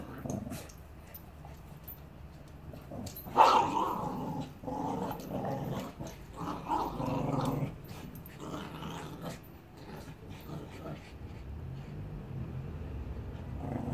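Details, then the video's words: Annie, a six-year-old Staffordshire Bull Terrier, and Bear, a Border Terrier puppy, play-fight in Salford while learning to socialise; low rumbling growls come in uneven bursts after a sharp yelp-like snarl, over soft scuffling noise. "Annie the Staffordshire Bull Terrier and Bear the Border Terrier puppy not fighting, mostly"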